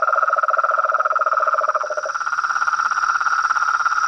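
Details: Brazilian frogs, toads and treefrogs calling together: a fast rattling lower trill stops after two seconds while a higher pulsing chorus and a steady high whine continue.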